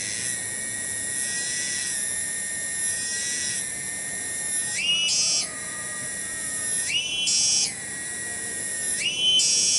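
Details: Tonggeret cicada singing in a village garden at Kampung Bunder, Cibening, Bungursari. A steady, high, metallic whine runs for several seconds, then breaks into repeated upward pitch jumps roughly every two seconds.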